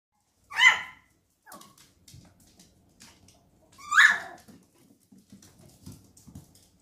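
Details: Miniature Schnauzer puppies, ready to go home, give two sharp, high, whining yelps about three seconds apart, each rising quickly and fading, with soft faint rustles and small thumps between them.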